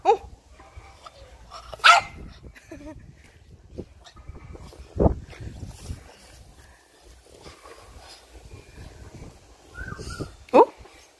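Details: French Bulldog at home giving a few short, harmonic yelping barks, spaced several seconds apart, with softer whines between them. People talk in Thai, with background rustling.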